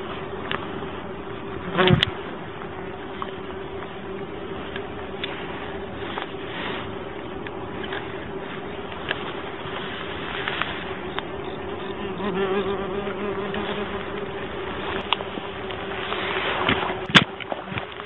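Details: Common wasps (ground wasps) attacking an angler during lure fishing after he unknowingly fished beside their ground nest; a steady low droning buzz persists throughout, with brief louder bursts as insects pass close and occasional clattering handling noises.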